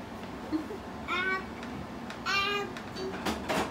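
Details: Russian Blue cat named Lena, indoors while eating broccoli, gives two short plaintive meows about a second apart, with a person talking softly and small household clatter.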